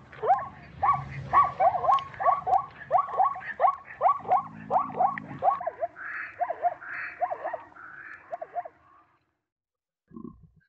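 A zebra gives a long run of yelping, barking calls, about one and a half each second, fading into softer, hoarser notes before going quiet.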